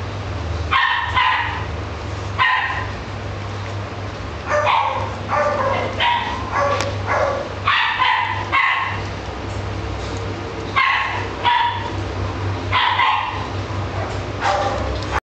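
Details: Italian Greyhound barking in rapid, uneven series of sharp harmonic yaps, often in pairs or triplets with brief gaps, a low steady hum running beneath.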